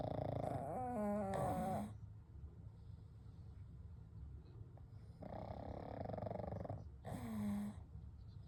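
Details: Pugs Kou, Gen and Shun asleep side by side at night, one giving a long throaty snore, then a quiet pause of steady breathing before two shorter rattling snores follow.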